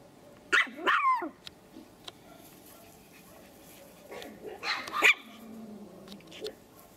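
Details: Male Pomeranian puppy aged three months and three weeks from the Elenhouse kennel in Kyiv gives two sharp, high yapping barks close together near the start, then a softer, rougher bark a few seconds later in a quiet indoor setting.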